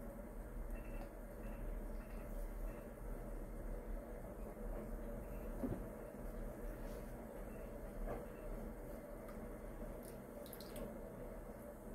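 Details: Low, steady rumble like a passing train or vehicle, with faint indistinct sounds and no animal voice.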